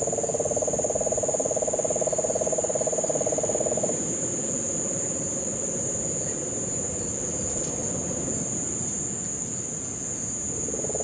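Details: Puerto Rican crested toad in the Guánica Dry Forest, Puerto Rico, during the September 2007 rains. A low, buzzing trill lasts about four seconds, then fades to a quieter trill that returns at the end. A steady high insect hum and background cane toads are heard.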